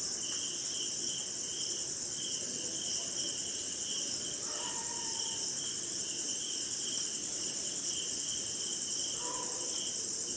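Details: Rainy-night chorus of crickets and other insects in India: an intense, even high trill and a steady pulsed chirp near two per second, with two faint lower whistled notes partway through and near the end.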